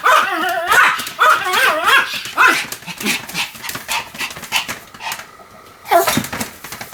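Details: Pomeranian named Sam spinning rapidly, about 175 turns, recorded 1 November 2015; sharp high yapping barks come in quick bursts over the first seconds, then quieter rustling and one more bark near the end.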